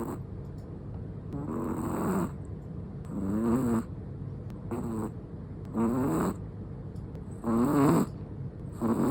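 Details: Sleeping black-and-tan long-coat Chihuahua snoring: breathy, rasping snores roughly every two seconds, each with a wavering low buzzy tone, separated by soft quiet breathing in a calm indoor setting.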